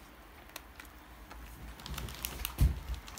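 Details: Soft tapping and clicking indoors, like keys or small objects handled, with a louder knock near the end.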